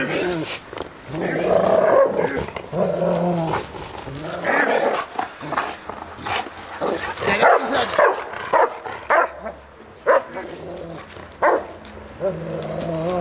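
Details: Bernese Mountain Dog play-fighting with its owner, biting softly during the game; throaty growls and short barks come in bursts across the recording, mixed with a human voice talking over the dog.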